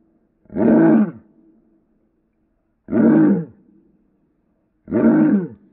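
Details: Pet dog barking at its owner, played in slow motion: three deep, drawn-out, roaring barks, each about half a second long and spaced roughly two seconds apart, with silence between.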